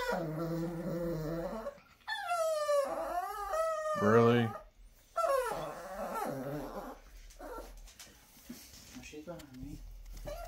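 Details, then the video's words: Dixie the Chihuahua talking in a small room, mixing low moaning groans with rising and falling howl-like whines in short bursts, a sharp yelp near the middle, and human voices talking around the dog. "Dixie Chihuahua talking."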